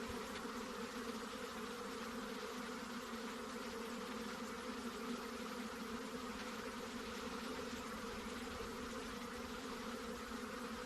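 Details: Steady hum of honey bees, low buzzing drones running without pause, over a wash of hissing background noise.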